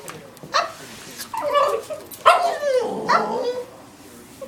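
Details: Female pet dog vocalizing to get her bone back: a series of wavering whines and short barks, some drawn out and falling in pitch, spaced about a second apart, in a quiet indoor setting.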